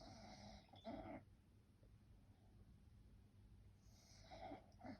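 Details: Snoring from a sleeping French bulldog: a loud rasping snore near the start, a quiet gap, then a longer snuffling snore ending in a sharp snort-like breath, over a constant low background hum.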